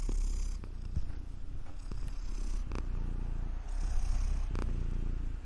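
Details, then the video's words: Purring cat, an even low rumble throughout with scattered soft clicks and brief rustles. "CAT PURRING SOUND EFFECTS"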